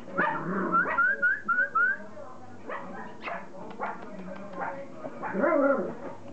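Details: Border Collie puppies at play: a quick run of five high, rising yips at the start, then scattered growly grumbles and snuffly scrambling noises, ending in a louder rough growl burst.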